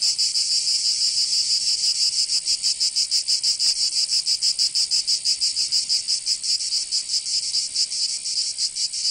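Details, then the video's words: Cicadas in Provence, southern France, during summer: a loud, shrill buzzing chorus beating in quick, even pulses, with no other sounds. "Canto Cigarra"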